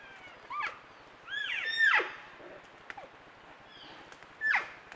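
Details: Elk calves and cows captured by a trail camera, calves talking with their moms: sharp, whistled squeals sliding downward, a close loud one near the middle, fainter answering chirps before and after.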